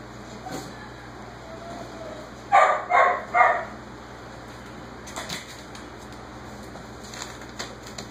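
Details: Jaxson the whippet, done with his dinner, calls out from the background with three quick barks in a row near the middle, while six-week-old Basenji puppies play nearby with faint scuffles and clicks.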